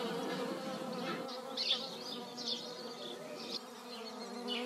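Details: Hornets meeting in flight in a garden in the Eifel give a steady, low droning buzz with rich overtones that swells as they fly close.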